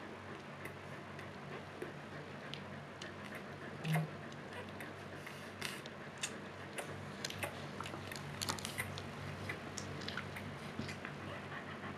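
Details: A low indoor hum with faint ticking and small clicks and one soft thump, with no animal voice.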